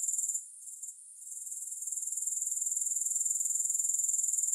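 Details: Thin, high grasshopper buzzing with no music falters and nearly vanishes within the first second, then builds back into a steady rapid pulsing trill.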